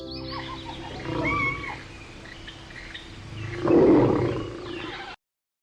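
A lion gives one short, rough, throaty roar, under a second long. Light music with a few whistled tones plays before it.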